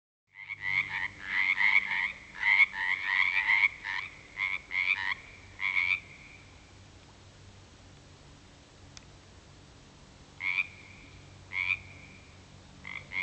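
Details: A frog chorus calls at a natural pond at 7pm after dark in February 2009, after weeks of rain: a dense burst of pulsed, trilling notes for about six seconds, then a quiet gap and scattered short ringing trills.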